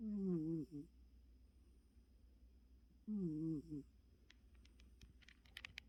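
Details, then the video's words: Snores of Choco, a very tired sleeping house cat: a pair of buzzy, wavering breaths three seconds apart, with faint sharp clicks near the end. "고양이 코골이"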